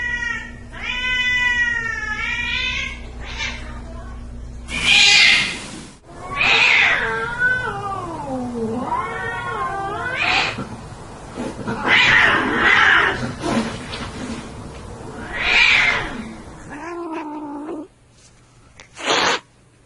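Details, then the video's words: Fighting cats trade quavering, wobbling yowls broken by sharp, harsh bursts of spitting and hissing, the voices rising and falling in uneven wails, ending in a short hiss. "Gatos Brigando"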